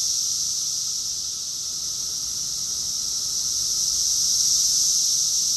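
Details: Rockville, Maryland, USA cicada chorus in summer, June 2021, a continuous sizzling high drone from many insects, holding steady then slowly growing louder toward the end.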